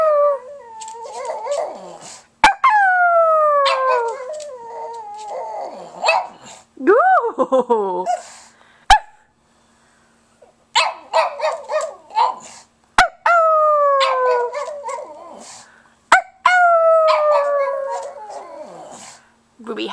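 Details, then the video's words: Pet pug howling indoors in a series of drawn-out, falling, wavering howls broken by short sharp yips and pauses, with a person murmuring between outbursts. "Howling Pug"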